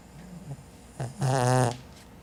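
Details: Caramelosh the cat snoring: soft, low breathing sounds, then one loud buzzy, rasping snore lasting about half a second, followed by quieter breaths.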